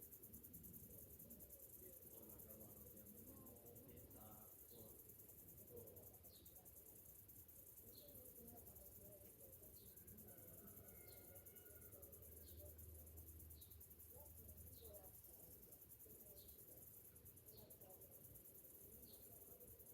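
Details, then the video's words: Summer morning chorus of cicadas, a continuous shrill pulsing drone held high throughout, with scattered brief chirps, a few soft whistled bird notes and low rumbling noise behind. "Morning summer cicadas sounds"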